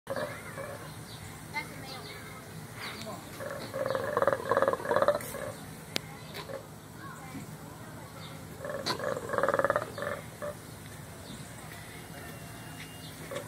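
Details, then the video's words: Colobus monkeys at Louisville Zoo making wild noise: bursts of rapid, pulsed, croaking calls repeated in quick rattling series, two main bouts separated by quieter stretches, with a steady background hum and faint voices. "Colobus monkeys making wild noise"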